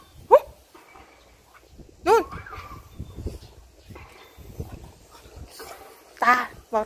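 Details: French Bulldog at home making short, high, bending whine-yelps, each with a rising and falling contour, spread across a few seconds. Thai speech and household noises are mixed in.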